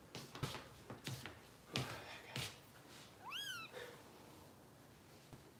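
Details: Bottle-fed foster kitten Harper, Kitten Rescue, Los Angeles: a single bright meow that sweeps up sharply and drops away, preceded by several dull thumps and bumps of handling indoors.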